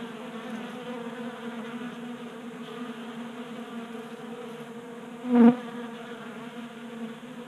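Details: Honey bees feasting at a 3D-printed table-top feeder in a Colorado garage on a warm January day, giving a steady low droning hum with layered overtones; a single bee swells loudly close by for a moment near the end.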